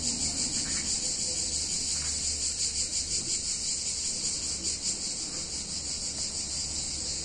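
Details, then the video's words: Summer cicadas in a picturesque Italian town on a hot day, droning in one unbroken high, hissing buzz that wavers and pulses faintly, with a quiet low hum beneath. "Cicadas In Warm Summer Day In Italian Town"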